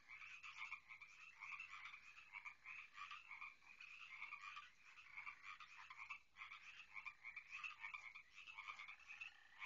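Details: Numerous frogs from a garden pond croak together without pause: a steady, rattling chorus of short bright nasal notes, pulsing in waves of loudness, heard from inside a house.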